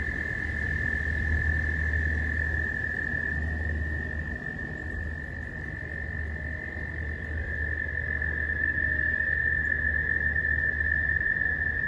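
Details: Frogs calling at a pond during mating season, heard from close range as they swim about; a steady, high continuous trilling tone holds throughout, over a low rumbling background.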